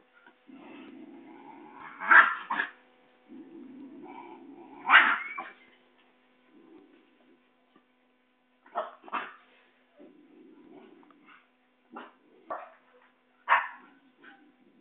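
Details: Basenji puppies running and play-fighting in Saraburi, Thailand, on 6 February 2011, growl in low buzzy rumbles broken by sharp high yelps and short yips.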